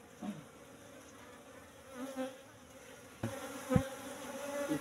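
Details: Asian honey bees (Apis cerana) buzzing at a cultivation hive box during honey harvest, the colony moved from the forest about three months earlier; a faint steady low hum with a few short knocks and handling sounds.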